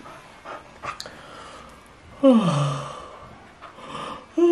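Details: Sleepy Border Collie named Alpha, a pet dog in China, yawning in response to another's yawn: a loud, drawn-out whining yawn sliding downward over about half a second, with soft rustling and a short voiced sound at the end.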